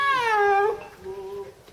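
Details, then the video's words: Ena, a snow leopard at Tama Zoo, gives a loud, falling, cat-like wail, then a fainter, shorter second cry, recorded in June 2015. "鳴くユキヒョウ エナSnow leopard Cry : Tama Zoo "Ena""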